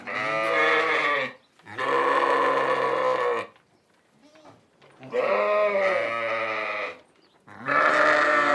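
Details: Four long, wavering bleats from a sheep, each lasting one to two seconds. The bleats are nasal and rich in overtones, with short pauses between them.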